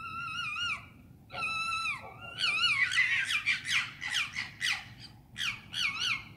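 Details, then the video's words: London foxes calling at night: two long, level screams open, then a fast run of quivering, warbling cries that rise and fall in pitch, over a constant low hum. "Foxes scream at night in London"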